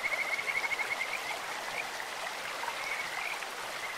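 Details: Kajika frogs heard along a clear stream: a brisk, high, bird-like trill of quick pulses opens the clip, then softer scattered notes follow beneath the constant noise of running water.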